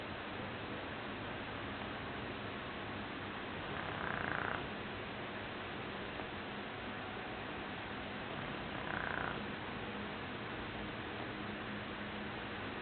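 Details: Sleeping Shar Pei Joshua, dreaming, gives two short snoring bursts about five seconds apart, each a brief rasping pulse topped by a faint high whine, separated by long stretches of quiet hiss.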